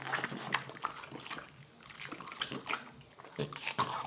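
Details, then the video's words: A French Bulldog eating watermelon indoors, with wet, crunchy chewing and smacking in quick irregular bursts, loudest in short sharp clicks and slurps through the clip. "ASMR Dog eating watermelon | French bulldog"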